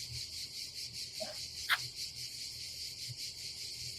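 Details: Cicadas on a summer day at a campsite above the Adriatic Sea in Croatia: a steady, shrill, high buzzing chorus with a faint pulsing texture, broken by one sharp click and a brief soft voice.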